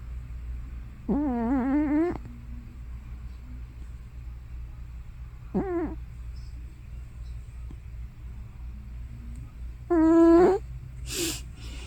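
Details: Hana, an elderly tortoiseshell cat probably over 15 years old, asleep and making loud snoring or sleep-talking sounds; three droning, wavering moans around one second, half a second and half a second long, the last followed by a short breathy snort.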